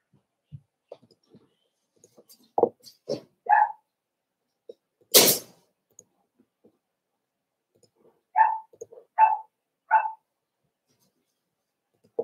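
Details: Cavalier King Charles Spaniel puppies, four weeks old, indoors in their pen with older dogs: scattered soft squeaks, a loud sneeze-like burst midway, then three clear, high, short whimpering yelps repeated about once per second.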